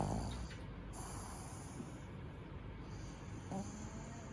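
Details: Tenson, a male black pug born 29 May 2018 in Nagano, Japan, sleeping like a human: a rough, low snore at the start and another brief snort near the end, soft breathing noise between.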